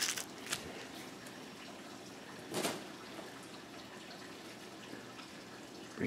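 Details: Water dripping and trickling indoors in a small room, with a few louder splashes and faint background speech; no animal voice.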